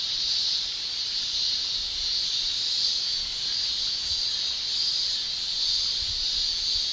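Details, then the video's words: Japanese cicadas, males singing with their tymbals on a summer day in Japan; a dense, high, hissing shrill that never pauses, gently waxing and waning. "Japan Summer Cicada Shrilling Relaxing Sound"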